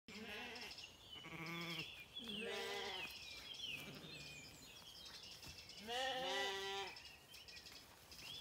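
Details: Zwartbles lambs on a regenerative farm in County Kilkenny, Ireland, calling for their mothers on lush pasture in the morning; several overlapping wavering bleats, some low and some higher, with bird chirps in the background.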